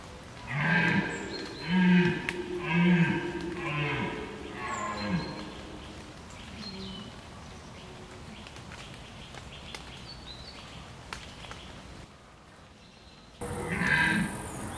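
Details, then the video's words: Red deer during the rut in the Považský Inovec mountains. A run of deep, groaning, harmonic roars comes about once a second over the first five seconds, then fades into hiss. Another roar rises near the end. "Red DEER Rut 2025"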